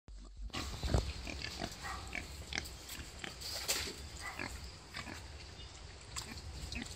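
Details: A wild boar gives low, rough grunts and snuffles over a steady noisy background, around the time it gave birth to five piglets.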